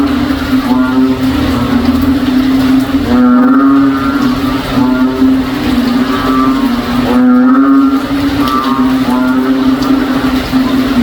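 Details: Backyard frogs calling on a rainy day in the province, a cow-like chorus; nasal, lowing calls rise and bend in bursts every few seconds over a constant low drone.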